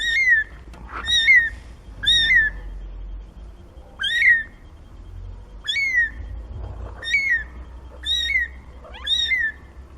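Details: Seventeen-day-old kittens from Nina's litter of four crying steadily. Each mew is high-pitched and clear, starts with a quick rise and slides down, and comes about once a second, eight in ten seconds.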